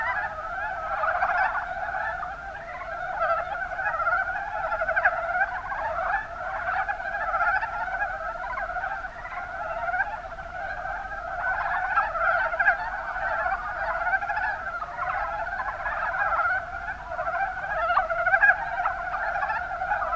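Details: Chorus of Mountain brown frogs, Rana ornativentris, in Japan's Kuma Basin, Kumamoto: many overlapping rapid croaking notes merge into a steady, continuous rattling drone, with brief louder bursts scattered through.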